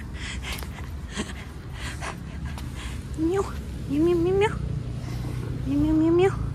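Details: Hungry stray cat on a roadside, begging for food and trying to open a school bag, gives three drawn-out, rising, wavering meows in the second half, each about half a second long, over a steady low traffic rumble.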